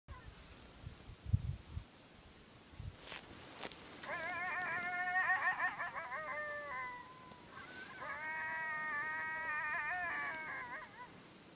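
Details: Coyotes howl at night in overlapping, wavering voices in two long bursts, heard from Sage Creek primitive campground in Badlands National Park, South Dakota.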